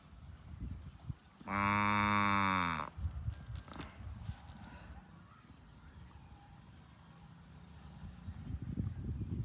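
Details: Tame cow herded in the afternoon while eating grass gives one loud, harmonic moo of about a second, steady in pitch; quieter rustling, soft low noises and faint background sounds follow through the rest of the recording.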